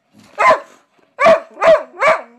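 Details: Heyoka, a big pet dog, gives a quick series of loud barks: one bark, a pause, then three in fast succession, with a low whine trailing between them.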